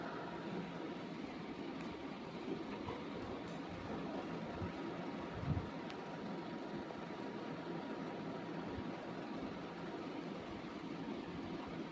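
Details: A constant broad rumbling noise like a passing vehicle or train, with a faint steady tone and a single soft knock.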